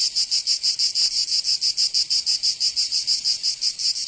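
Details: Cicadas in summer, Provence in southern France: a shrill buzzing song chopped into quick even pulses, about four each second, loud and constant with a quiet background.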